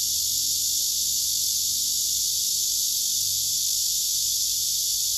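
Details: Male cicadas singing on trees, several gathered together with wings spread and abdomens raised, filmed by phone; one continuous high, hissing buzz holds unbroken throughout, with only faint low background rumble.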